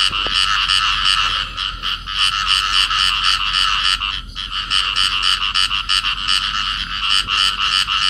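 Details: Clasped pair of field frogs in amplexus at Cầu Kè, Vietnam: quick raspy croaks pulsing around three per second, with a short break near four seconds before the rhythmic calling resumes.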